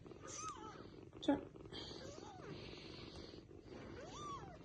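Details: Baby kittens asking their mother to pick them up: several quiet arched mews rising then falling, spread across a few seconds, with a sharp click or bump and a hissy background.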